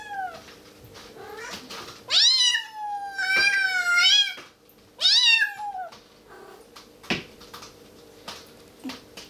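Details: A tiny, hungry female Bengal kitten gives three loud, drawn-out meows, each about a second long, rising then sliding down, begging for raw chicken, with softer short mews between them.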